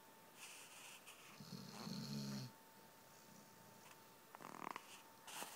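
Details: A sleeping pet dog snoring indoors: one long, low rasping snore around two seconds in, followed by quieter breathing and a few faint clicks, with a steady electrical hum underneath.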